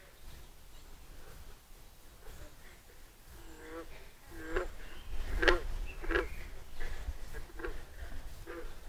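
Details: Green frogs singing in a pond on a summer walk, giving low, twanging plunks like a loose banjo string, scattered unevenly across the quiet water.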